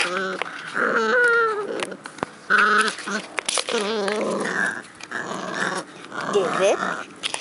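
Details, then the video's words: A 12-week-old Cavalier King Charles Spaniel puppy grumbles in wavering, whiny growls while playing with his favourite toy, a plastic pot, in a yard, with a voice talking alongside. "Puck (Cavalier King Charles Spaniel) Growling at His Favorite Toy"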